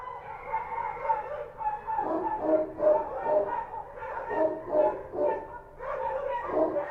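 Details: Kochi street dogs at night in Kabul, several barking together in overlapping bursts of harsh, mid-pitched barks, irregular and nearly continuous, with brief lulls.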